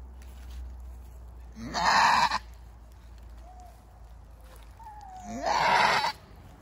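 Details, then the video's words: Two loud, grating screams from a goat in labor with her first baby, spaced nearly four seconds apart, each starting with a short rising note before the rough, strained cry. "Screaming goat giving birth"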